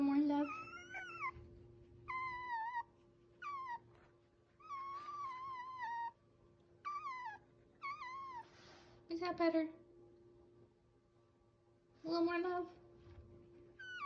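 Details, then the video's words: Baby fox whining while being given love and a scratch, a run of high, wavering whines that mostly slide downward, some with sharp rising onsets, in about nine bursts over fourteen seconds above a steady low hum. "A real baby fox and he’s whining"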